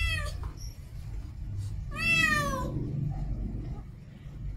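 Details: Female cat in heat: one clear drawn-out harmonic meow in the middle, a clipped meow at the start, and scattered faint sounds over a noticeable low rumble.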